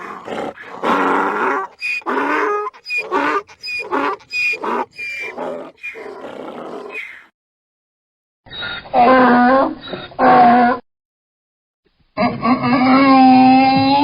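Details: Donkey braying: a run of harsh, rhythmic, harmonic bursts about every half second, then after short silences longer tonal, wavering brays with strong harmonics, split by abrupt cuts.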